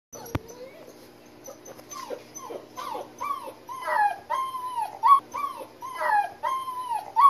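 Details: German Shepherd Boxer mix puppies crying: a run of high, whining whimpers, each arching up and falling, coming about once a second and growing louder toward the end, with several pups overlapping.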